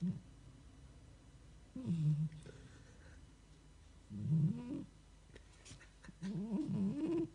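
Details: A cat snoring in its sleep, giving low throaty rasping snores roughly every two seconds, some with a wavering upward pitch bend, and quiet gaps between breaths.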